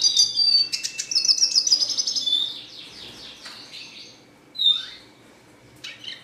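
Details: Red siskin in a cage giving rapid high chirps that run into a buzzy, jingling trill, then fading to quiet with a couple of isolated bright rising calls.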